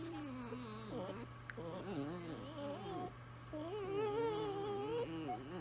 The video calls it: Italian Greyhounds singing to each other